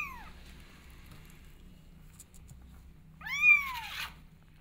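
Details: Kittens wanting to go outside and explore: one high meow fading at the start, then a louder rising-and-falling meow near the end, with steady low hum between.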